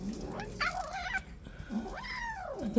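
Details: Newly arrived kitten, angry at the other cats and disliking them, lets out two complaining meows, the first rough and wavering, the second a clean rising-then-falling arc, inside a small room.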